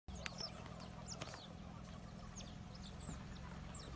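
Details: A huge family group of banded mongooses gives many short, high, arched chirps over a steady low rumble.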